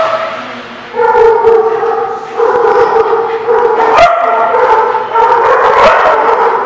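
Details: Dog at The Barking Lot, recorded 4/17/17; loud drawn-out tonal yowling barks, held notes with harmonics, in long bursts lasting about a second each with brief gaps, a sharp knock near four seconds.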